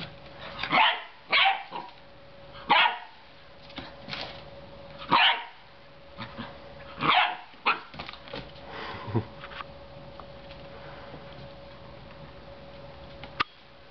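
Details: Puppy Leo, a Belgian Shepherd Groenendael, exploring his new home with a four-year-old girl: a burst of about eight high, snappy barks over the first eight seconds, then quiet with faint room sounds and a click near the end.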